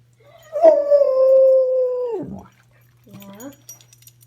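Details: Pet dog in bed in the morning making a silly vocal noise: a steady, drawn-out howling tone held about 1.5 seconds that drops off at the end, followed by a short lower rising whine. Low indoor hum in the background.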